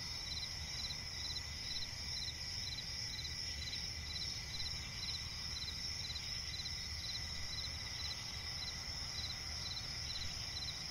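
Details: Crickets calling at night in a forest swamp, an even high-pitched trill overlaid by regular pulsing chirps about every half second, with a steady low rumble underneath.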